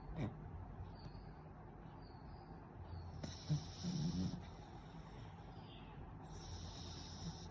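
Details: A sleeping beagle, possibly having a nightmare, makes low snoring snorts and soft muffled whimpers.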